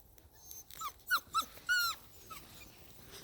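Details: Belgian Malinois puppies giving a run of short, high, tonal whines, each sliding slightly in pitch, with four or five louder whimpers clustered in the middle over a quiet background.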